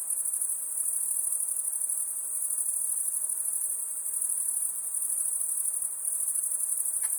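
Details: Crickets trill at night, around 3 am, in a steady, very high-pitched chorus that never pauses.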